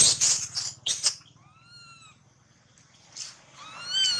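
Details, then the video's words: Baby monkey whose leg was bitten nearly through by a big male monkey: after harsh broadband bursts come two short, clear, arched whistled cries, then a rising, high-pitched squeal at the end. "Thương Hại Chú Khỉ Con Bị Khỉ Đực Lớn Cắn Gần Đứt Chân"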